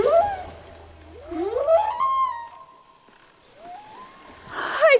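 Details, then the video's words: Underwater recording of a humpback whale singing, a voice said to travel hundreds of miles: wavering tonal moans that glide upward and hold a steady note, with a faint low hum beneath. "Yes, that's from a humpback whale. These sounds can travel hundreds of miles."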